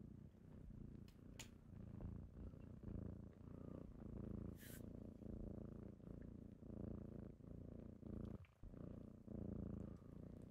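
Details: Kittens purring close by in the morning while waking their owner: a softer, slightly uneven rumbling purr with a few light clicks and a brief hiss-like rustle.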